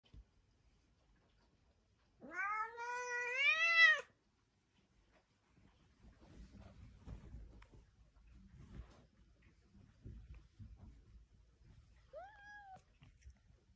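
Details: Talking house cat: a long, loud, wavering meow with rich harmonics rising and falling, then quiet rustling and handling noises, and a short, softer meow near the end.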